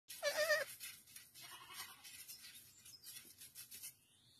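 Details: Baby goat giving one short, loud, nasal bleat near the start, followed by quieter scattered rustling and faint background noise.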